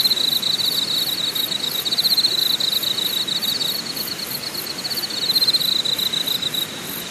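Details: Campsite insects in Deogyusan National Park, Korea: a sustained high rasping trill with beating pulses, joined by a very high ticking rhythm several times a second, all over a continuous soft hiss.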